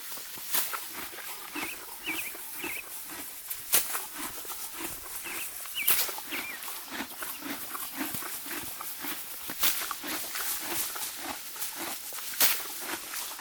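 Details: Morgan horse (Equus caballus) mare grazing deep spring grass, steadily tearing and crunching it in a quick, even rhythm.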